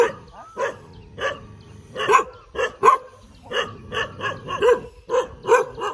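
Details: Barking from a tail-wagging dog, evenly spaced single barks roughly every half second, some with a slightly yelping edge, over a faint low background hum.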